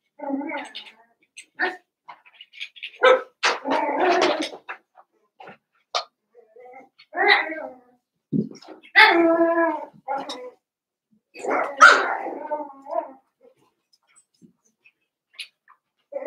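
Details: Cavalier King Charles Spaniel puppies, Daisy's six litter merged with Robin's two remaining pups, playing together: short high yips and small barks come in scattered bursts with soft whines, alongside human voices talking nearby.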